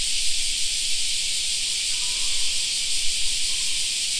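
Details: Summer park cicadas droning in a continuous, even, high shimmering buzz without pauses, with a faint brief whistle partway through and soft low background noise.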